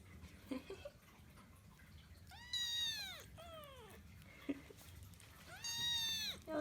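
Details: Persian Chinchilla kitten named Kkung, a household pet filmed in its baby days, gives two drawn-out arched meows, each rising then falling, about three seconds apart, with faint background noise between them.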